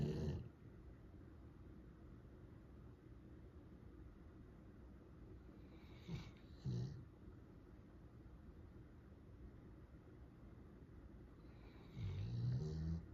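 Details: Sleeping Golden Retriever, described as the loudest snorer of three dogs in the household; mostly quiet breathing broken by short, low, rasping snorts near the start, midway, and a longer rumbling snore at the end.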